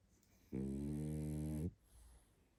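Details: Tired pug named Barney sleeping and snoring indoors: one long, steady low rumbling snore of about a second, rich in stacked harmonics, set in near silence.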